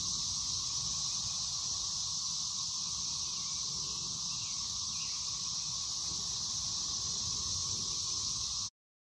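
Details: A dense chorus of 13-year Brood XIX periodical cicadas in Waxhaw, North Carolina on 4 May 2024 makes a steady, high, hissing drone that never breaks.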